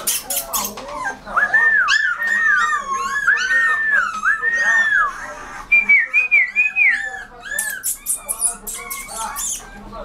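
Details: Rottweiler puppy whining in a run of high, arched, squeaky tones that rise and fall, some drawn out and some quick and overlapping, with sharp clicking bursts at the start and end.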